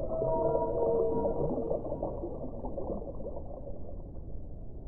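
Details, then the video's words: Whale song opens with a cluster of clear mid-pitched tonal whistles and moans lasting about two seconds, then fades into a steady, muffled underwater hiss and rumble. "1 ora di suono delle balene"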